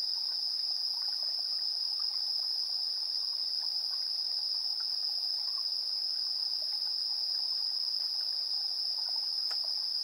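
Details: Insects calling at 7:04 PM on 3 September 2022, TASCAM Portacapture X8 recording: an unbroken high trilling drone with light, scattered chirps underneath and one brief sharp click near the end.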